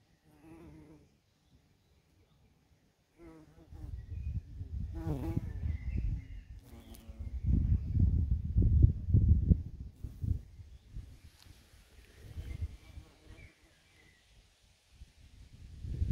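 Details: Many bumblebees foraging on scabiosa flowers in a garden plot in Germany; low droning buzzes swell and fade as bees pass close, loudest in long bursts midway, with short quieter hums and gaps of near silence between.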